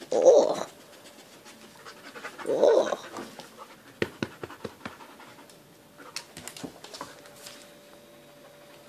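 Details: Pet dog heard indoors: two short, loud tonal yelps about two seconds apart, followed by rapid soft clicking and breathy panting sounds, with a Dutch-speaking voice nearby.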